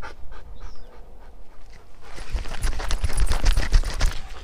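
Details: Krypto, a dark sable male German Shepherd off leash on a hike, chasing Lola, a female Labrador in heat: rapid heavy panting, about three to four breaths a second, growing louder and harsher after the first two seconds over low rumbling handling noise.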